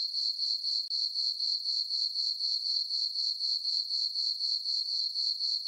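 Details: Night chorus of crickets in a meadow on a farm under the full moon in summer: bright, high-pitched chirps repeating evenly around four per second, with a brief dip near the start.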